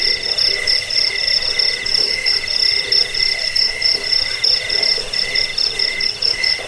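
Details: Cricket sound used to repel rats and train birds: shrill pulsed chirps in loose bursts, roughly one and a half per second, layered over a steady high background buzz.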